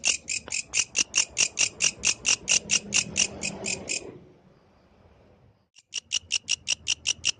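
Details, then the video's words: Yellow grasshopper singing in nature at night: a rapid train of bright, raspy high chirps about four per second, stopping for nearly two seconds before starting again, over a faint low rumble. "The Melodious Sound of the Yellow Grasshopper, Authentic from the Night Nature"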